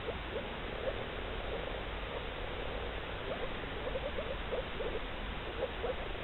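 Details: Male moor frogs in blue breeding colouration give soft, bubbling, low mating notes in quick bursts, like air escaping underwater.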